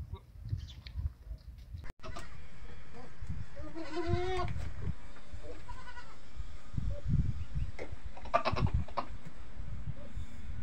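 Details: Farm goats calling in the early morning for feeding: after a sharp knock, a wavering, nasal bleat with quivering harmonics rises midway, followed by a shorter second bleat, over steady low rumbling noise and scattered thuds.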